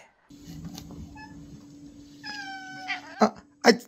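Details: Domestic cat giving a single brief meow, a clear tonal cry that slides slightly downward for about half a second, followed by two sharp knocking thumps over a steady low electrical hum.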